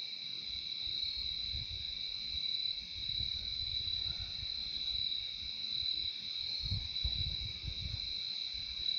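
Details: Crickets keep up a continuous shrill, high trill throughout, while soft low rumbles, perhaps wind, come and go in the background of this calm insect recording.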